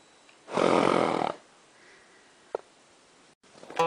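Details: Startled horse in a winter pasture snorting at helium balloons placed among the herd, the sound signalling fear of a possible threat; one loud, harsh, breathy snort lasting nearly a second, then quiet with a faint click.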